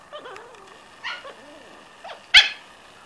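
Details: Corgi puppies at six weeks old: thin, wavering whimpers and whines come in short bursts, ending in one sharp, high yip over a quiet background.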